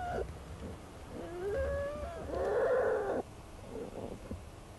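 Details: Wild American black bear mother with her cubs in their den in March, filmed at close range by researchers during a den visit. Soft wavering whines rise and fall, then a brief loud buzzy burst, then quiet faint murmurs.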